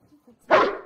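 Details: A Boerboel at play, stealing a bed, gives one short, loud, harsh bark of about half a second after a few faint soft sounds, in a quiet indoor setting.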